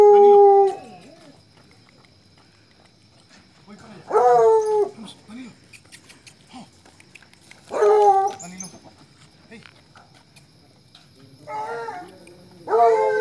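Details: Colombian Fino Hound giving loud, drawn-out bays with strong harmonics, each falling slightly in pitch, repeated about every four seconds, with a quick double bay near the end and quiet pauses between.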